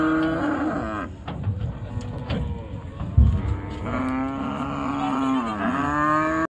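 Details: Cattle arriving at a village cattle market, unloaded from the river side; low rumbling moos give way to a long, sustained bellow that dips in pitch near the end, over a thudding knock and crowd murmur.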